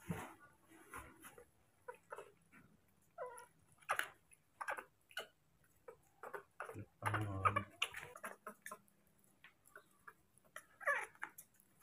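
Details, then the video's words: Baby monkey, hand-raised, calling without pause for its father to arrive with food: a steady series of short, harmonic squeaks and chirps, some sliding up or down, with soft knocks and rustling indoors between calls. "The original sound of a baby monkey, does not stop calling for the arrival of his father with food"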